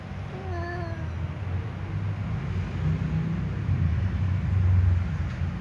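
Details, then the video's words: A ginger cat confronting a tom cat gives a short, quavering howl that bends downward, then falls quiet under a constant low rumble of background noise. "Ginger cat undo scare tom cat"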